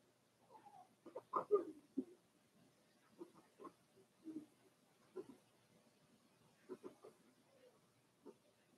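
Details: Four-week-old Cavalier King Charles Spaniel puppies from Daisy's litter in their puppy pen, making soft snuffly grunts and short squeaky whimpers in clustered bursts, some piggy-sounding, against a quiet indoor background.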